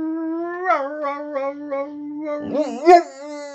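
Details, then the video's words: Boxer dog 'talking' with its owner: a steady howl pulsing in soft repeated wobbles, ending in a looping, rising-and-falling yodel-like flourish. "Boxer Dog Howling And Talking With His Dad"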